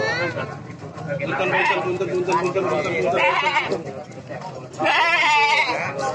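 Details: Goats at a livestock market in Cilongok, Banyumas, where hundreds are gathered for sale before Eid al-Adha; a loud wavering bleat rises near the end over constant crowd chatter and talking people.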